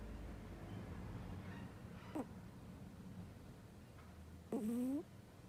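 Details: Strange snore from a sleeping cat: a faint brief squeak, then a louder rising, whistle-like breath near the end, against a quiet indoor background.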